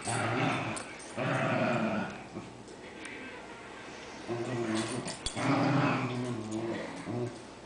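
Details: Cairn Terriers, several pet dogs playing together indoors; low rumbling growls in two long bursts with a quieter stretch between, plus scuffling and a few sharp clicks.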